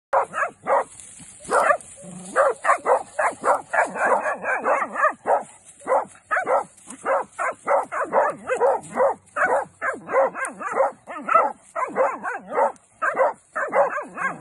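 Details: Maremma hound puppies bay at a wounded wild boar held at bay during crop-damage control, giving rapid, overlapping, yelping barks.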